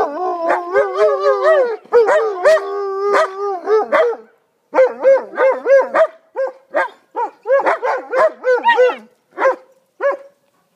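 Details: German Shepherd dogs howling, opening with a layered wavering chorus, then trailing off into a series of short separate yelps and barked howls with pauses between.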